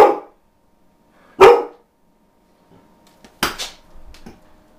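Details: Rarely barking domestic dog gives two sharp barks over a second apart, followed by softer clattering and thumping sounds in a quiet room.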